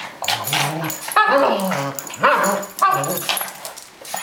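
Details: Play fight between a Boston Terrier and a Cavalier King Charles Spaniel: clear, deep rumbling growls in four or five bursts about a second apart, each rising into a snarl, over light scuffling.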